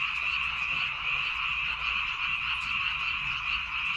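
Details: Frogs in rice paddies on Baengnyeongdo Island make a thick wall of high, trilling croaks. Countless callers overlap without pause.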